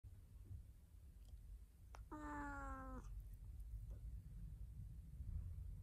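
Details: A domestic cat, said to be talking and attacking, gives one drawn-out harmonic meow of about a second, level then slightly falling, with faint clicks before and after over a steady low indoor hum.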